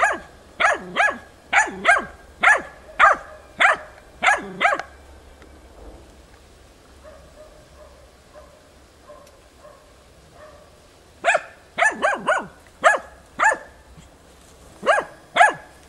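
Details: A hunting dog baying at young wild boars during training on 6 March 2013 gives bursts of sharp repeated barks, then a quiet spell with faint distant sounds, then another rapid burst of barking.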